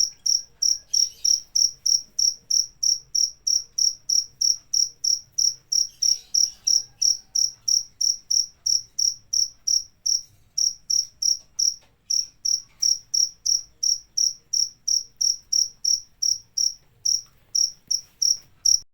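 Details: Long run of cricket chirps, roughly 59 sharp high-pitched pulses at about three per second, with a short pause midway and a few faint scratchy noises, over a low hum.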